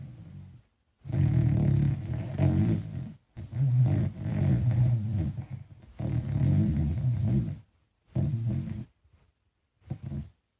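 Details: A small dog called Falkor snores heavily in its sleep while dreaming; coarse, deep rattling snores of one to two seconds, several in a row, then shorter fading breaths near the end.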